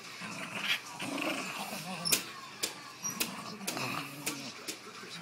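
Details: Rat Terrier growling and snapping at a Jack Russell during a game of tug with a rope while lying in bed, not liking being disturbed; rough, low rumbling growls broken by sharp snapping clicks.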